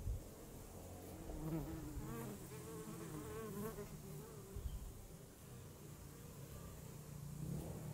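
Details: Honeybee in flight, with a wavering buzz that rises and falls in pitch as it moves near the microphone, steadiest in the middle seconds, over a low background rumble.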